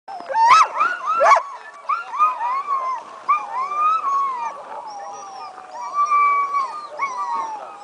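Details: Sled dogs at the 2010 Wolftrack Classic Sled Dog Race, about an hour before the start, howling and excited to race; several overlapping wavering howls, some sharp rising yelps early, then many sliding, arching tones layered from many dogs.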